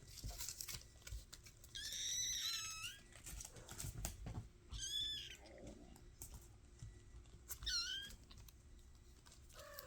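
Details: Mashka's five-week-old kittens mew indoors: thin, high, arched cries in short bursts at about two, five and eight seconds, each sliding downward at the end, with faint rustling and tapping between calls.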